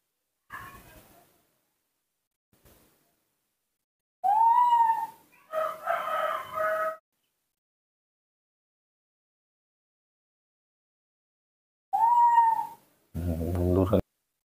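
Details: Newborn baby monkey in human care asking for milk: loud rising whistled coos, each under a second, come in bursts separated by long silences, with a wavering cry and a harsh, buzzy final burst.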